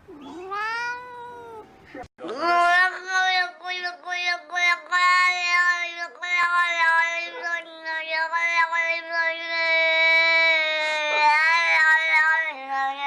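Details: Domestic cat talking: one rising-falling meow, then a long, sustained, wavering harmonic yowl lasting about ten seconds with pitch wobbles, like a drawn-out speech-like cry, in a quiet room.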